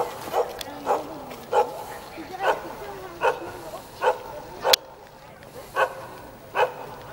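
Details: Jindo dog greeting visitors from a rooftop in Jeonju, North Jeolla Province, South Korea, giving a steady run of about nine short, punchy barks, one roughly every 0.7 seconds.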